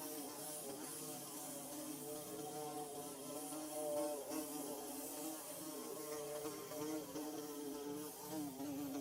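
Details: Nest-building bees produce a constant, layered hum, low wobbling tones overlapping without pause at a steady level, with a soft high-pitched hiss running underneath.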